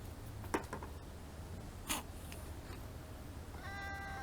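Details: Stray kittens eating food, one of them sneezing: two short, sharp bursts about a second and a half apart, then a brief harmonic meow near the end over a low steady background hum.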